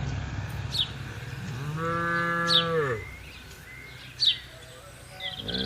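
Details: Tame herd cattle grazing in a green field on a calm morning, open countryside: one long, low, level moo in the middle, surrounded by frequent sharp bird chirps and faint whistles.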